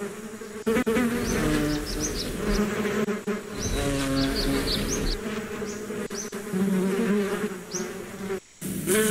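Bees buzz in a steady, wavering drone, with faint high chirps of birds above.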